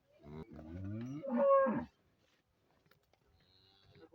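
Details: Friesian cow for sale in Pakistan lets out a loud moo lasting nearly two seconds, starting low and rising into a strained, brighter ending, then near silence.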